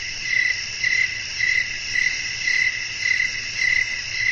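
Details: Crickets sing at night outdoors with wind, trilling pulses rising out of a constant shrill insect drone at a steady pace of nearly two per second, with faint low noise beneath.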